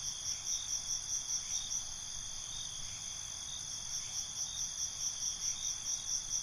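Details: Crickets at night in a relaxing night ambience, several overlapping high steady trills with soft pulses about every half second, a continuous shimmering chorus over a faint low rumble.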